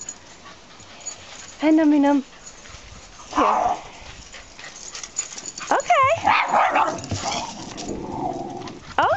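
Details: Female dog meeting two male Shiba Inus; loud, high whining yelps, one drawn out and wavering, with a woman talking soothingly over it and general scuffling.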